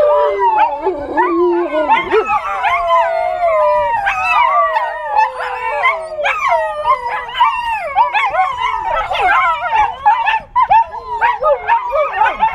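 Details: Several 8-week-old American Tundra Shepherd puppies howl at siren sounds from a cell phone, high, wavering, overlapping voices that rise and fall.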